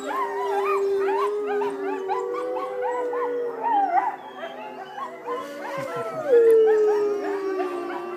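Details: Several wolves at a sanctuary howl together in long, overlapping, wavering tones that rise and fall.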